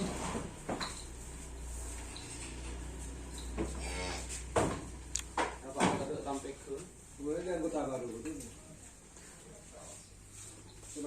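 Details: Karapan sapi racing bulls (Bintang Selir, Surya Loka) being prepared for an event, Indonesia; low harmonic moos around eight seconds, with clatter, knocks and voices nearby.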